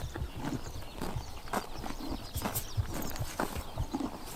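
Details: Summer-morning grazing by horses in Tuv province, Mongolia: faint crisp snips and crunches of grass being torn and chewed, fairly evenly spaced, under a hissy outdoor background.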